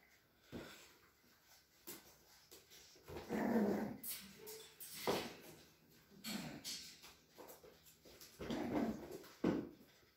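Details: Indoors in the Sierra de Madrid, Spain, a breeder's Cavalier King Charles Spaniel makes low growling and whimpering in several rough bursts over ten seconds, with scuffling and handling noises between them.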